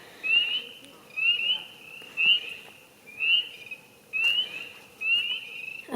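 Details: Tree frogs at a neighbourhood frog pond in Norris, Tennessee, after heavy rain give short, high, chirping "screaming" calls, repeated about once a second in a steady chorus.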